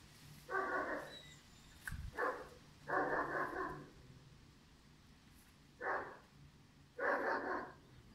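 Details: Pirat, a five-month-old German Shepherd puppy, barks in short, harsh bursts: five barks over eight seconds, the third drawn out and doubled, with quiet pauses between them and a low hum beneath.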